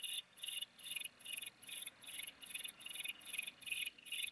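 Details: Grey bush-cricket singing near Mörnsheim, Germany, in August 2021. Rapid run of short, high, scratchy chirps, roughly two and a half per second and fairly even, with no other sounds.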